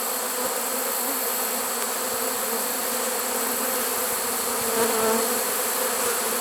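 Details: Late-season honey bee swarm inside a trap, recorded September 1, 2019. The drone holds steady and even, with one brief louder whine near the end rising above the constant buzzing mass.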